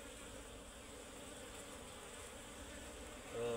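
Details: Asian honey bees buzzing at a tree-hollow nest as people harvest the honey; a low, steady, many-winged hum with faint tonal bands, and a louder nearby sound rising at the very end.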